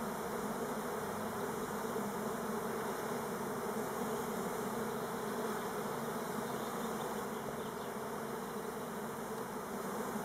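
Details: Elgon Buckfast honey bees (Apis mellifera) on Timrarö near Stockholm make a dense, steady, low droning wing buzz, likely an orientation flight, though the owner hopes it is not a swarm.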